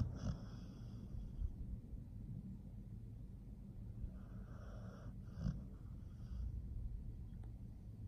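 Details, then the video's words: Nomyen, a pit bull, snoring while asleep indoors: soft rumbling breaths with raspy, hissy bursts near the start and again around the middle, over a steady low background hum. "Nomyen the pit bull is snoring"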